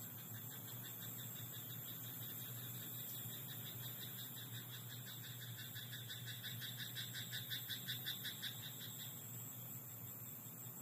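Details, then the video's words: Nighttime rice paddy frog giving a quick series of regular, clicking croaks late in the recording after a quieter stretch, with a constant low drone and high-pitched whine behind it. "田んぼのカエル "Croaking frog in rice paddy at night""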